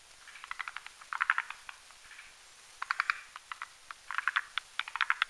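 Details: At night over a marshy mountain pond, forest green tree frogs croak while mating in a foam nest; sharp clicking pulses in short clusters, sparse at first, then denser toward the end.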